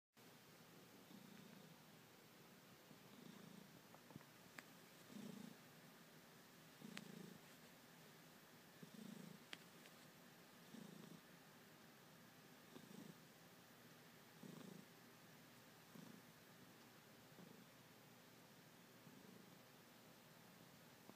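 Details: Ragdoll cat kneading while purring deeply and throatily, rising and falling in a slow rhythm, each swell matching a breath roughly every two seconds, with faint room noise and soft clicks behind.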